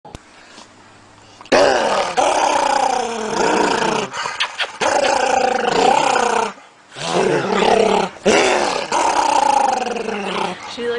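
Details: Pet dog vocalizing indoors in long drawn-out whines and grumbling moans with rising and falling pitch, given in several bursts of one to two seconds separated by short pauses.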